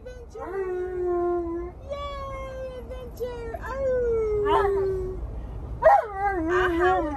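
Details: Alaskan Malamute complaining and arguing while refusing to wear his seatbelt: long wavering howl-like moans that slide downward, broken by short yips, with speech and music in the background.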